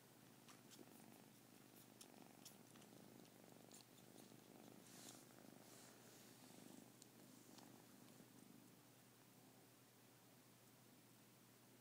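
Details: Purring kitten, the larger of two, sucking the ears of the little one; a steady rough low vibration runs throughout beneath broadband rustle and faint sucking sounds.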